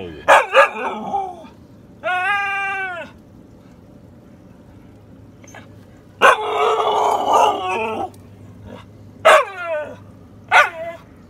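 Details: Sable, a female Siberian Husky, talking back when told she is being bad: quick yips, a sustained harmonic whine, then a longer grumbling howl and several sharp yelps, with a low background hum throughout.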